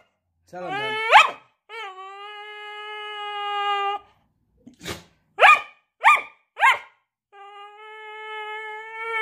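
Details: Joy, a Staffordshire Bull Terrier, putting on a show for the camera: a long drawn, harmonic whine that rises at the start and holds steady, then three sharp barks about half a second apart, then another sustained whining howl.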